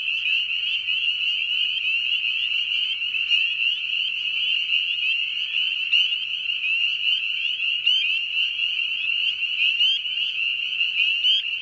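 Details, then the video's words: Frogs or toads calling at night: a dense, continuous high trilling chorus with a steady shrill band, overlaid by short repeated chirps every second or so. "Frogs & Toads wide variety of sounds"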